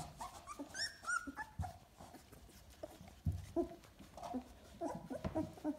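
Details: In the whelping box, two-week-old Golden Retriever puppies toddle about, uttering scattered thin whines and soft squeaks among shuffling, bumping litter noises.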